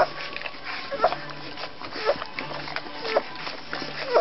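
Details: Several short, high tonal peeps from Rhodesian Ridgeback puppies aged two weeks, scattered unevenly across a few seconds, with quiet conversation in the background.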